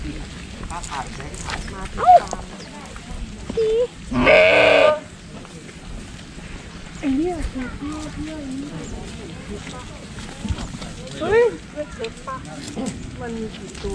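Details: Sheep being hand-fed grass, giving several quavering, wavering bleats, with one loud, harsh, drawn-out bleat near the middle and shorter bleats later, while people talk close by.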